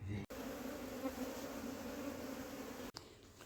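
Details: Honey bees from a wild colony buzzing as they are moved into a hive box; a steady, even hum with a low drone and a higher overtone, broken by two brief dropouts.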